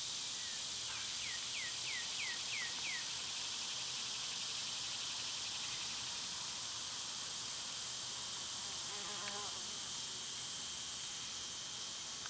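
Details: Steady high buzzing of summer cicadas runs throughout, while a bird gives a quick series of short downslurred chirps early on, followed later by a brief trill.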